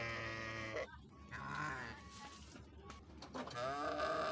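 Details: Quieter, more distant sheep bleats: one wavering cry at the start, softer overlapping calls in the middle, and a rising bleat near the end over low background hum.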